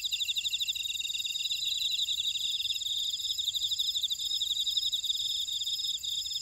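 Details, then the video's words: Chorus of grass insects in an Ora-dong buckwheat field, Jeju, South Korea: two overlapping fast buzzy trills of pulses, one dropping out midway, over a continuous shrill high-pitched ringing. "제주 메밀밭의 풀벌레 소리"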